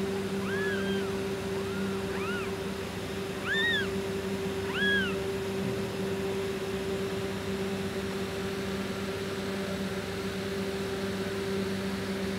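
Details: Tortoiseshell mother cat named Tortie Girl, a pet who meowed all day before giving birth to four kittens in July 2023; several short arched meows rising then falling, clustered in the first five seconds, over a steady electrical hum.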